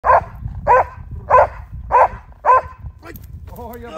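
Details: ["Belgian Malinois protection dog barking at a decoy during protection work: five loud, sharp barks about every 0.6 seconds, then a man's voice speaking."]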